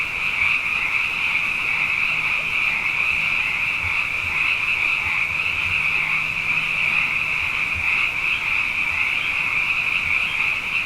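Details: Frogs abundant after back-to-back wet years fill the night with song: an unbroken, even, high droning trill from many callers, with occasional soft low knocks and a faint low hum.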